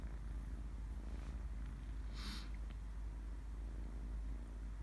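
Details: Kitten purring while asleep, a steady low rumbling drone running through the whole stretch, with one brief soft higher rustle near the middle.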